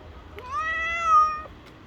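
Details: Stray street cat fighting over shared food, giving a single drawn-out meow with a rising start, steady middle and falling tail, about one second long, over a low background hum.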